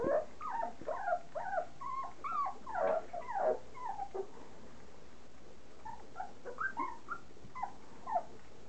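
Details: Litter of 3.5-week-old standard poodle puppies eating their first mushy soaked kibble; dense overlapping squeaky whines and yips, many short rising-falling notes tumbling together, easing briefly midway before resuming.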